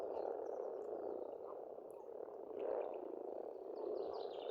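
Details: Steady massed croaking of pond frogs in spring in Estonia, a dense rumbling chorus rising in a few surges, with faint high bird whistles drifting over it.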